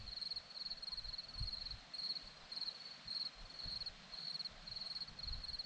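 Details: A clear series of bright, trilled cricket chirps on a single high note, each a short pulsed burst, repeated steadily on a quiet hillside in Zorlesti, Romania, with only faint low background noise.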